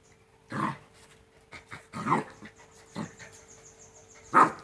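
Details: Rottweiler puppies aged two months at play make short rough growl-barks, four bursts about a second apart, ending with a sharper yap, amid scuffling and a faint background hum.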